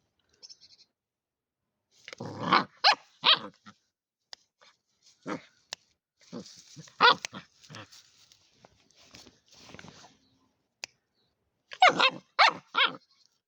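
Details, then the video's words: One-month-old German Shepherd puppy, angry and acting as a guard dog, gives short, rough, uneven barks and growly yaps in bursts, clustered around three and twelve seconds, with quieter gaps between, indoors. "New Guard dog 1month old angry German shepherd"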